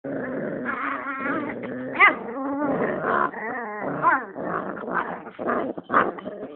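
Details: A rat terrier and a pit bull squaring off: continuous whiny, wavering growls and snarls, rising and falling in pitch, with sharper yelping peaks near two, four and six seconds.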